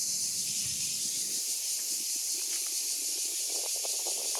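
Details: Single steady stretch of cicada song, an intense high hiss without breaks, with light rustling and soft crackles beneath it.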